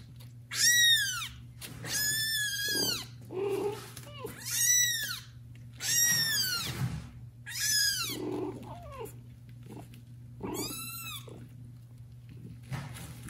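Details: Domestic kitten, one of four born to mother cat Judy, meowing loudly to call its neglectful mother; about eight shrill, high, arching meows with rich harmonics come every one to two seconds, with softer lower mews between them and a steady low hum behind.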